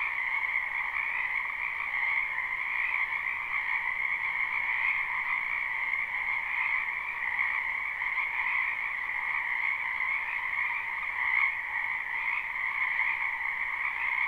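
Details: A live spring chorus of frogs from a wetland behind a house: countless overlapping callers blend into a steady, high, shimmering drone with faint pulsing texture throughout and no other sounds.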